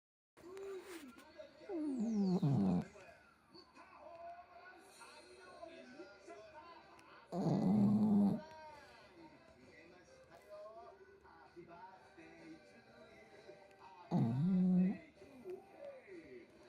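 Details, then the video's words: Mogu, a Shih Tzu dog, snoring loudly: three harsh, rasping bursts about six seconds apart, each sliding downward, with quiet breathing and faint background sounds between them. "シーズー犬もぐ☆いびきがすごい…---Mogu the shihtzu☆snoring so loud…"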